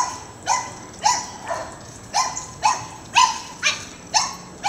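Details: Domestic dog barking while chasing neighbourhood squirrels out of the yard; sharp, even barks repeated about twice a second in a steady run of nine, with a faint hum underneath.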